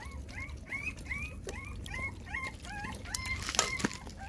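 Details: A litter of six puppies feeding from their mother GiGi squeal in a rapid chain of thin, upward-curving whines, about three per second, over a low steady background hum.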